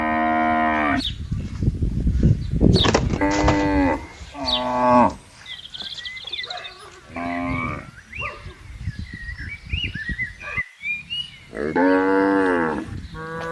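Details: Herd of tame cattle on a vast pasture lowing repeatedly: a string of strong harmonic moos, some overlapping, over heavy low rumbling noise early on, with bird chirps heard in quieter moments.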